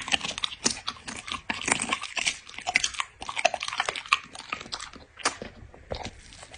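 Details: Close-up eating sounds from a dog in ASMR style: loud, crackly crunches come in short clusters, with brief gaps of softer munching between them.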